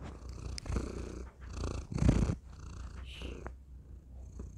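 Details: Pet cat named Thor purrs into a tiny microphone; a deep continuous rumble rises and falls with each breath, loudest in a strong swell near the middle, with faint rustling.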